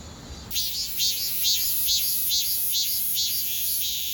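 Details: Cicada chorus in Donghae, South Korea, 2022: after a brief quiet start, a loud high-pitched rasping drone beats in regular throbbing pulses, a bit more than two per second, with a constant thin whine above.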